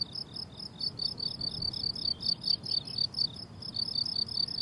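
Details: Crickets on a blooming summer meadow, a steady chorus of short high chirps repeated about twice a second with a faint higher overtone band; low background hum beneath, no music or talking.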